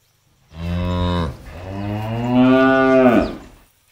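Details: A cow released to graze in an empty rice field gives a deep, drawn-out moo with a low start and a rising, strained second part.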